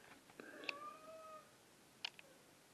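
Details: Domestic cat indoors giving a drawn-out, wavering meow lasting about a second, its tone sliding gently downward, followed by a pause and a few short clicks and knocks in a quiet room.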